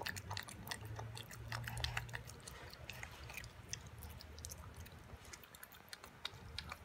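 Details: Toby, an 11-week-old Boston Terrier puppy, eats his first raw beef dinner with veggies and yogurt indoors. Quiet, wet, crunchy clicks come in an uneven run, about three bites a second, over a low steady hum.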